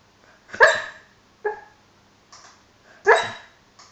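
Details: While dreaming, Hollie the dog lets out a muffled woof, then a softer, shorter one, and a third full woof about two and a half seconds after the first, with faint breaths between them.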